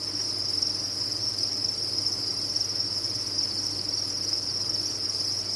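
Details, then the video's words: Crickets kept on a cricket farm chirp together in an unbroken, bright, high-pitched trilling wash, with a soft low hum beneath. "Sound of a Cricket Farm"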